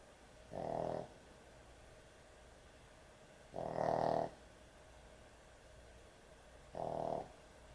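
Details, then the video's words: Sleeping dog snoring heavily indoors: three rough, buzzy snores, each about half a second long and spaced roughly three seconds apart, with quiet breathing pauses between them. "강아지 수면영상, 코골이 강아지의 취침시간"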